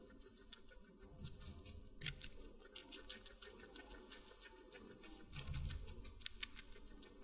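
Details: Guinea pig eating watermelon, close-miked for ASMR: soft, wet crunching clicks and chewing patter run throughout, with louder bites near two and five and a half seconds, all fairly quiet.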